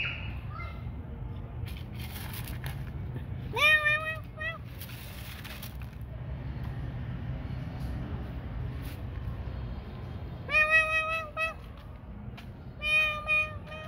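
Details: Cats at night feeding time: several drawn-out, steady, tonal meows in short bursts near the start and end, with long quiet gaps between and low background hum with faint voices.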